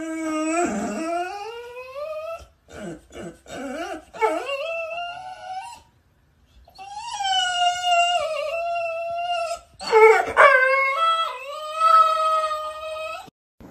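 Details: Pit Bull Terrier howling and whimpering indoors; long drawn-out wavering howls, rising then sliding down, broken by short yips and pauses.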